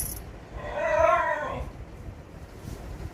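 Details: A German Shepherd frightened by firecracker bangs, after hiding under a bed, gives a single high, drawn-out whine, rising then falling.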